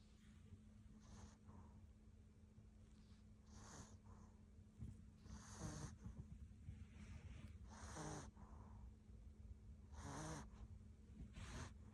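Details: Maltipoo dog snoring while asleep: soft low rumbling breaths with short airy snorts recurring roughly every two seconds, quiet throughout.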